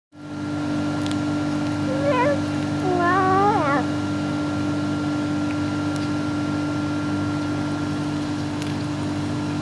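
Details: A domestic cat described as singing gives a few short wavering meows, rising and falling in pitch, clustered around the middle, over a steady loud electrical hum that fills the whole recording.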